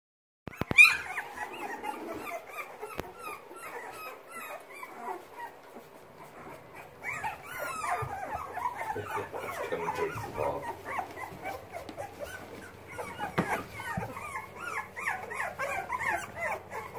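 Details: Young Boxer puppies learning to use their legs and paws, a litter of many small whimpers and squeaks overlapping in a continuous chorus, rising and falling high-pitched cries with soft rustling and scratching throughout.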